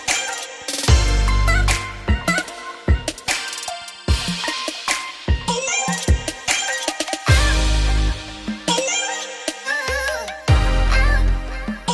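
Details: Loud electronic hip hop track with heavy bass drops and drum hits, with no animal sound audible.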